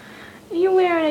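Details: Rescued male kitten Mr. Whiskers, a loud whiny cat wearing a diaper because he has started spraying, gives one rising then slowly falling harmonic meow after a moment of quiet room hum.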